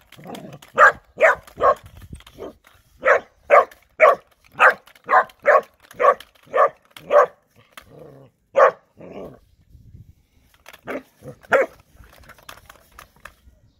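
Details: Three-month-old Bernese Mountain Dog puppy Erny delivers a rapid series of about fifteen sharp barks, nearly two per second, then pauses and adds a few scattered, softer barks amid light background rustling.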